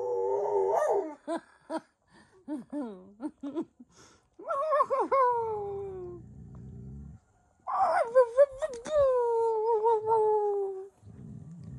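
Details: Several domestic dogs howl indoors: long wavering tones sliding downward, broken by short yips and whimpers, with a low rumbling noise between howls.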